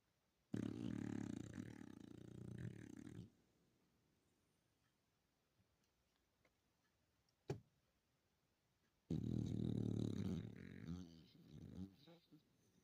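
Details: Yorkipoo dog snoring indoors in a small room: two long raspy, low rumbling snores of about three seconds each, separated by quiet breathing and a faint click.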